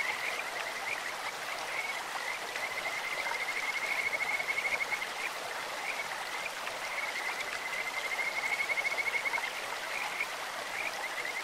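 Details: Kajika frogs sing beside a stream: sustained high, even trills interrupted by two spells of rapid pulsing, with short chirps between and steady water noise throughout.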